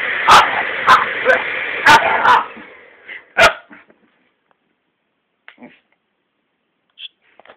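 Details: Jack Russell Terrier crossed with a Staffordshire Bull Terrier barking at a hair dryer: a rapid run of loud barks roughly every half second, one more bark, then quiet with faint small sounds.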